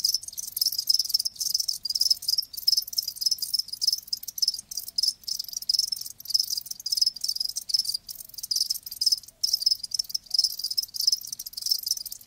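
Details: Live crickets chirping loudly and close: rapid, high-pitched pulsed trills in quick rhythmic bursts with brief gaps, a continuous insect chorus without other sounds.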